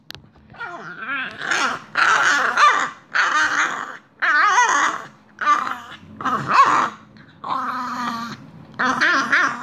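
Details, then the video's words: French Bulldog during a mad five minutes of playful mouthing indoors, giving a series of short grumbling, warbling vocal bursts about a second long, with brief pauses between, some with squeaky rising tones. "French bulldog making hilarious sounds"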